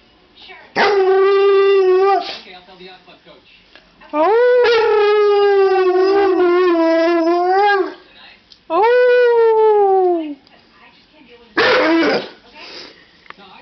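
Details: Pet dog howling back in reply to its owner's howl: four drawn-out, tonal howls of one to two seconds each, rising at the start and then sliding down, separated by short quiet gaps; the last one is rougher and noisier.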